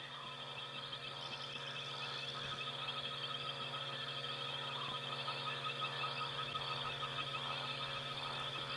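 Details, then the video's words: On a night safari drive in the bush, a dense chorus of many frogs and insects gives steady trilling and pulsing calls layered without pause. "Going to sit very quietly for just a moment so you can hear all the insects and the frogs."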